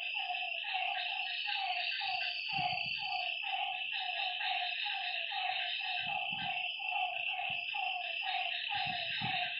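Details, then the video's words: Night chorus of frogs beside a lake: quick, repeated nasal notes from several animals layered together, a bright, unbroken insect hum above, and a few soft low thumps in the background. "Lakeside night creatures and frog sounds"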